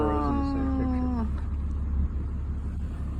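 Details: Boston Terrier reacting unfriendly toward burros while on RV travel; a drawn-out, slightly falling whine lasting over a second, then fading, over a steady low engine-like hum.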